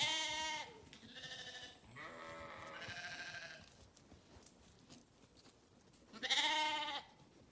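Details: Sheep bleating in a series of wavering, nasal calls: three close together in the first few seconds, then a louder, higher bleat after a short quiet gap.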